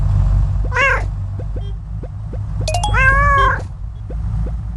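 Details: Koala making strange noises: a brief quavering cry, then a longer, drawn-out nasal wail that slowly falls in pitch, over a constant deep rumble with faint ticking clicks.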